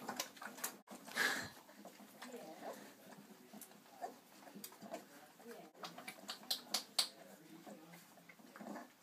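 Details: Irish Setter litter of ten puppies, four weeks old, nursing from their mother Bella; a sharp whimper early on, then scattered thin high squeaks later, mixed with soft rustling and snuffling in a small room.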